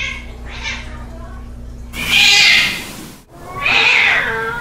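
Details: Cat in a fight with a soft moan followed by two loud, breathy hisses separated by a short silence.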